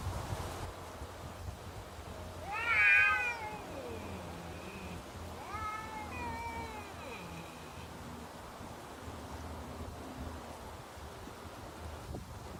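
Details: Neighbourhood cats in a standoff: a long, wavering, moaning yowl that rises then slides down, followed by a second drawn-out wail, over a faint background hum.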